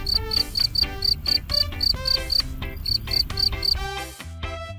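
A cricket chirps in quick, high-pitched bursts, roughly four a second, over steady background music.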